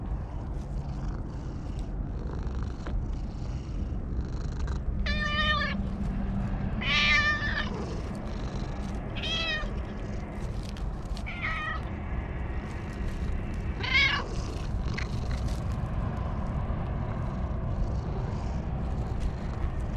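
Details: Stray cat sitting on top of a wall gives cries of joy while being petted, filmed on a GoPro HERO8. It makes several loud, drawn-out meows between five and fifteen seconds over constant low wind rumble.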